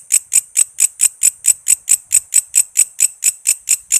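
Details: Cicada known locally as walang kece, a tutor sound for songbirds: short run of shrill, scratchy pulses, each a quick rasp, evenly spaced a little over four per second, clean and close.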